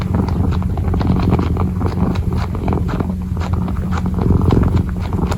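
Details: Kitten kneading and purring, ASMR close-up. A low steady purr rumble lies under frequent soft clicking paw taps and rustles that come in quick uneven bursts.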